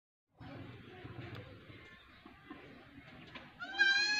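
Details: Baby goat at play: after several seconds of soft, low background murmur, a short, high, wavering bleat with rich harmonics rings out near the end and is the loudest sound.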